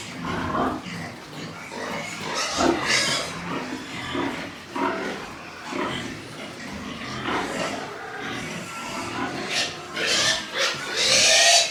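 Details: On a Nepalese pig farm, white pigs give repeated harsh grunting bursts every second or so, rising toward shrill, broadband squeals near the end, over continuous background farm noise.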